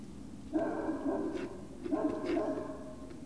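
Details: Two sustained, tonal whines from Great Dane puppies at Puppy Hill, 19 February 2019 around 19:45, each nearly a second long with rich harmonics, separated by a short pause, with a constant low hum underneath.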